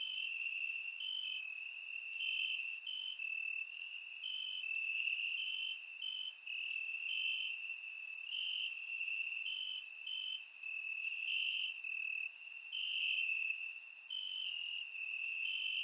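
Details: Crickets chirping in grass on a warm summer night in Bulgaria, recorded with a surround microphone: a steady high trill with overlapping choruses from several insects, plus brief higher clicks and buzzes scattered through.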